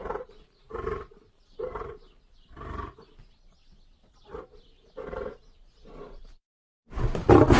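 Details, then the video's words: Lion giving a run of short, deep grunting roars, about a second apart with uneven gaps, then a sudden loud rush of noise at the very end. "lion sounds"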